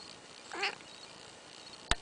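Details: A demanding, talkative indoor cat seeking attention and scratches gives one short, bright meow in a small room, followed by a sharp click.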